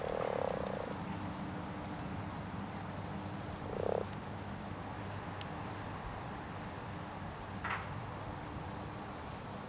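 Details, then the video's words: A common frog in a pond during spawning gives two soft, low purring croaks a few seconds apart over a faint steady hum. "Кваканье травяной лягушки в пруду во время нереста"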